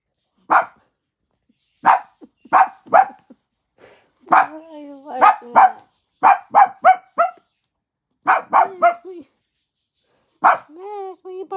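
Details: Max, a pet dog, barking for daddy: sharp single and paired barks in irregular bursts, some drawn out into whiny yelping tails, with short pauses between groups.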